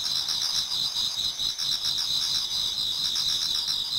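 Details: Chorus of autumn insects in a Japanese garden near dawn, several singers overlapping in a bright, shimmering high-pitched trill with faint rapid pulsing, unbroken from start to finish.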